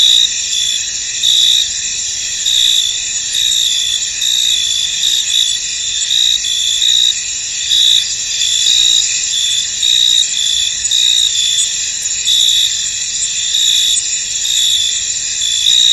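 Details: Crickets chirp together in a misty field, a continuous high trilling hum punctuated by rhythmic brighter bursts repeating about once a second throughout, with no other clear sounds.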